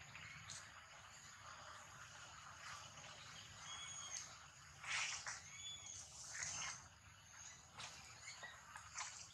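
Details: Baby monkey under attack in a fight gives a few thin, high, tonal cries with faint harmonics, broken by harsher broadband bursts, over a constant insect-like hiss and low rumble.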